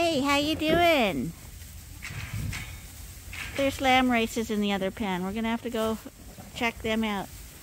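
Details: Several lambs at Ewetopia Farms, still with their mothers but topped up by bottle twice a day, bleat in a series of wavering, quavering calls, some gliding downward, repeated in bursts over several seconds.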